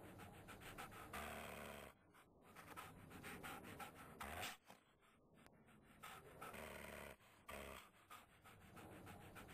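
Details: Puppy with shaking puppy syndrome, panting in fast, rhythmic, breathy bursts that form a steady run of noisy pulses, broken by a few brief pauses.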